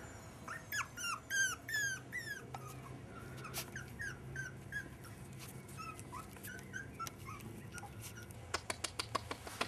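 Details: Five-and-a-half-week-old Jack Russell Terrier pups whining: a quick run of high, falling squeaky whimpers for about three seconds, then sparser thin squeaks, closing with sharp clicking taps and a low indoor hum.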